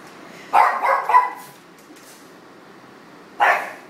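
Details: Pug indoors at a studio in Portland, Maine, barking to serenade a passing city-worker friend: a quick run of three sharp, mid-pitched barks, a pause of about two seconds, then one more bark.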